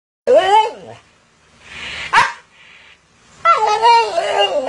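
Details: Siberian Husky scolding its owner after the owner secretly ate its snacks: a warbling, wavering howl-like phrase, a short noisy burst and pause, then a longer wavering, rising-and-falling vocal stretch.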